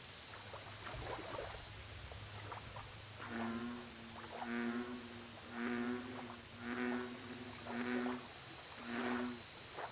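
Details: Lake chorus with an American bullfrog giving a run of low, throbbing croaks, roughly one a second. High insect trilling comes in pulsed bursts throughout, and a low hum sits underneath.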